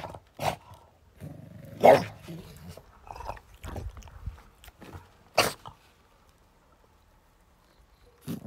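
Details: French Bulldog on guard, letting out short, sharp, noisy barks and huffs at irregular intervals, with quiet gaps between bursts and a final bark near the end.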